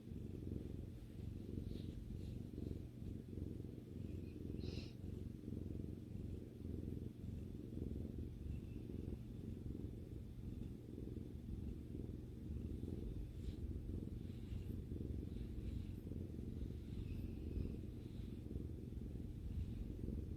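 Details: Female pet cat relaxing with her owner, purring in a steady, deep, continuous rumble throughout, with a few faint rustles.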